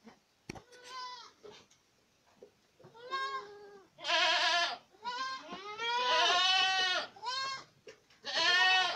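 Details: Several Boer goats in Acatlán de Osorio, Puebla, Mexico, calling in loud, rich, quavering bleats that overlap and swell in the second half, with a sharp knock early on.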